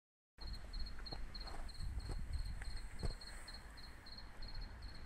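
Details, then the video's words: Cricket chirping at night in Jelgava, Latvia, where it had sung for more than a week: high, thin double-pulsed chirps repeated steadily about three times a second over a low rumble of background noise. "Circket sound"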